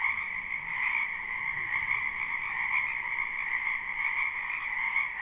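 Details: Live recording of frogs in a wetland behind a house during spring: a smooth, constant chorus of numerous callers merging into a continuous trilling drone, quieter, over soft low rumble.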